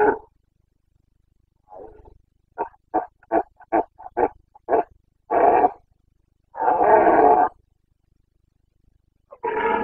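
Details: Breeding-season Carpathian red deer stag in Bucovina, Romania, 29 September 2022, delivering a roaring sequence: an opening bellow, then a rapid run of about seven short grunting barks building into two long, drawn-out roars.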